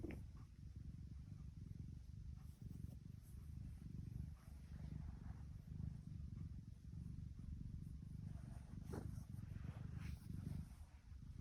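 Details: Tiki, a happy female tuxedo cat, purring: a steady low rumbling drone that pulses unevenly throughout, with faint higher rustles and soft clicks above it.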